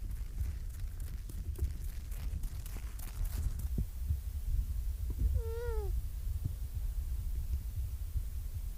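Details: Young seal approaching the camera, low wind rumble and scuffs at first, then a single brief bleating cry, harmonic and slightly downward-sliding, about half a second long near the end.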